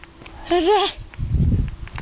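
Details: A dog that is ridiculously scared of water, having swum in the ocean only once in his life, lets out a short, wavering, high whine lasting under half a second, followed by a low rumble of nearby voices.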